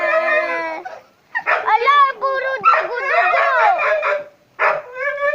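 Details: A dog lying with her puppies makes drawn-out, tonal whines and howl-like cries in three bursts, with sliding, wavering pitch and short silent gaps between them.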